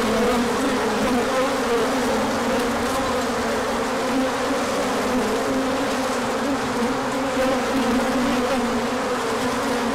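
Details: Sunny spring day, 24 March 2024, after a cold spell: many bees circle on an orientation flight, pollen arriving later; an unbroken swarm hum, low and resonant, wavering slightly as individual bees pass close.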